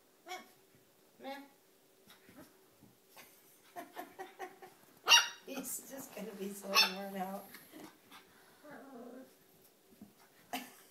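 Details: Young King Charles Spaniel puppy playing rough with an adult Welsh Springer Spaniel: sharp high yaps and growling barks come in scattered bursts, loudest through the middle, with people talking in the background.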